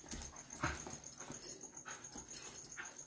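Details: Pet dog indoors in a small room giving soft, wheezy whimpers in short bursts, with a steady high whine in the background and a man speaking Telugu nearby.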